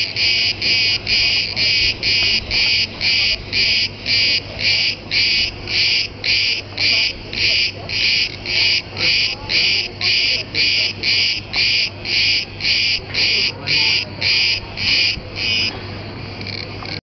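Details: Very loud cicada on Crete, Greece: a long run of harsh, buzzy pulses, roughly two per second and evenly spaced, steady until the final seconds, over a low hum.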